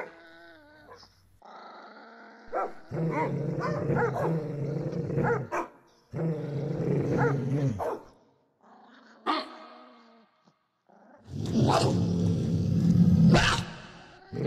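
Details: Several dogs barking strongly, a sound-library recording mixed in 8D: deep growling barks in bursts of two to three seconds separated by short pauses, with a louder, harsher barking burst near the end.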